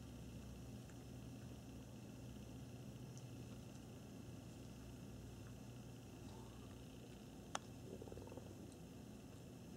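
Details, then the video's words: Domestic cats grooming indoors, giving a soft, low, steady rumbling purr that continues unbroken throughout, with one sharp click partway through and faint rustling afterwards in a quiet small room. "kitty cats grooming"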